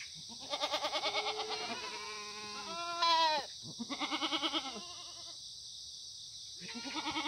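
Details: Korean black goats grazing freely on a farm at the foot of Muchuksan in Sangdong-myeon, Gimhae, on a clear September 2019 morning. Rapidly pulsing, shaky bleats follow one another almost continuously, one sharper rising cry standing out, with steady hiss.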